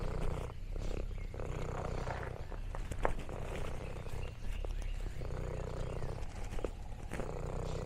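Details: Lexi, an orange tabby on a rural farm, gives a steady low purr that rises and falls with her breathing, partly masked by clicks, crinkling leaves and handling noise.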